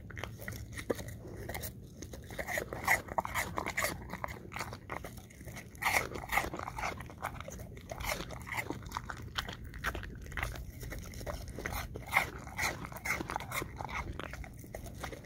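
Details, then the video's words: An English Cream Golden Retriever steadily chews apple chunks, a long run of sharp crunching bites about twice a second, irregular and crisp, with a faint low hum underneath. "Eating Apple Chunks - English Cream Golden Retriever"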